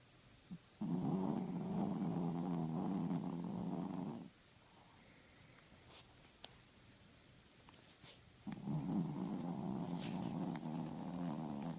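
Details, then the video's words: A male Chihuahua, a loud snorer, snores while asleep with his eyes open: two long, rough, rattling snores of about three to four seconds each, separated by a quiet pause of several seconds. "Chihuahua snoring and sleeping with his eyes open"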